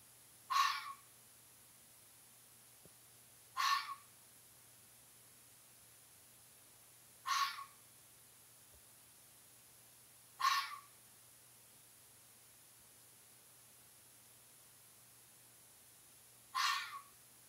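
A fox gives single harsh, hoarse barks, spaced roughly three seconds apart.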